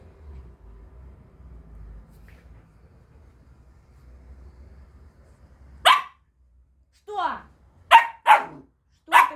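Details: Samoyed puppy demanding attention indoors: after a quiet stretch with a person talking, a few sharp high barks and yelps, some with falling whiny tails, spaced about a second apart.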